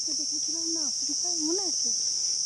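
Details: Crickets in a mangrove forest on Koh Rong Island, Cambodia: a steady, unbroken high-pitched ringing drone lasting the whole stretch, heard under a man talking in Bengali.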